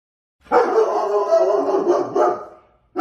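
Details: German Shepherd dog, a household pet, letting out a long sustained bark of about two seconds with a brief louder push near the end, then a fresh bark starting.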